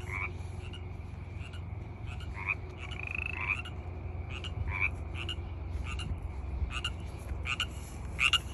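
Frogs call in short, clicking bursts over a steady high trill and a low background rumble.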